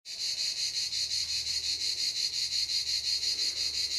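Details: Cicadas at Canet-en-Roussillon singing a loud, dense, high-pitched buzz that pulses steadily about twice a second, unbroken from start to finish.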